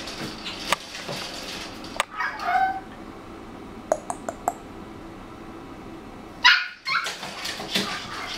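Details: About three-month-old puppy, the second male of a litter named Melody, filmed on 16 November; a short tonal whine-like bark near 2.5 seconds amid clicks and thumps, with brief sharp noises around 4 and 6.5 seconds.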